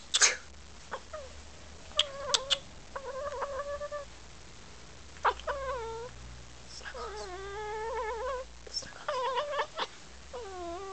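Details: Domestic cat chattering at the camera, giving a series of short chirps and bending, trilled mews, several rising then falling, with a few clicks in between and a low background hum.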